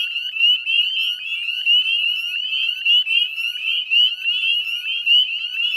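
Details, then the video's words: Northern spring peepers calling in a dense chorus at dusk, 18 May 2020, beside the Chezzetcook salt marsh wetlands in West Chezzetcook, Nova Scotia, Canada; high rising peeps overlap continuously into a shrill, steady ringing wall of sound. "Northern Spring Peeper Chorus"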